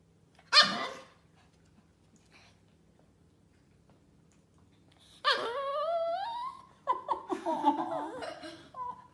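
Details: Toy poodle begging indoors in a small room; after one sharp, short yip comes a long, high, wavering whine that rises and falls, followed by broken whimpering notes.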